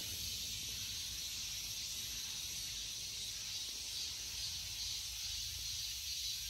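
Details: Continuous shrill buzzing from a cicada, a dense high hiss holding at even loudness throughout, over faint low-frequency background rumble.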